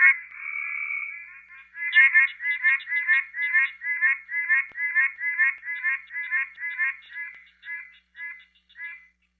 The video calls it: Pine Barrens Treefrog